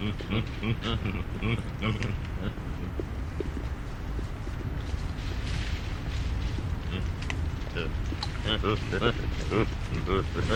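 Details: Chacma baboon troop grunting while feeding, with coughing and screeching noises: dense overlapping low grunts and barks throughout, with harmonic screechy calls rising above, continuous chatter from many animals.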